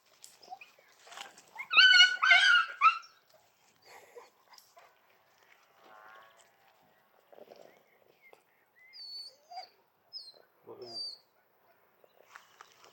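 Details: Two dogs, a large Argentino and a small chihuahua, give a loud burst of rapid high barks early on, followed by quieter scattered whines, squeaks and short yelps with pauses between.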